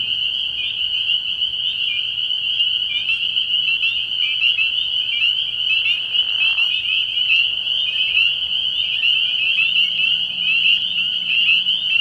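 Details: Night chorus of spring peepers at a frog pond early in the year: piercing, high peeps pile up into a constant shrill drone, with a brief soft rustle near the middle.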